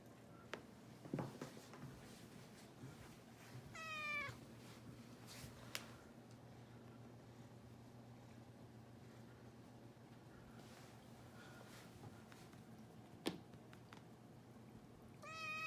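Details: Rescued kitten indoors at home, 67 days after arrival, one of two named Shishimaru and Nana, exploring downstairs after a treat on New Year's; two short high harmonic meows, one near four seconds and one at the end, over quiet room hum with scattered taps.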